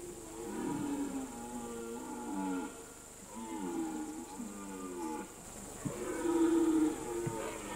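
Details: Red deer stags roaring during the September–October rut on a mountain alpine pasture; several drawn-out, harmonic bellows overlap and follow one another with short gaps, some rising then falling, over a steady high hiss.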